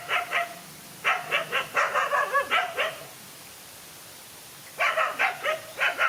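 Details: Dogs fighting, a lone animal against two male dogs: a couple of barks, then a long fast run of harsh barking, a quiet pause of nearly two seconds, and another quick barking volley.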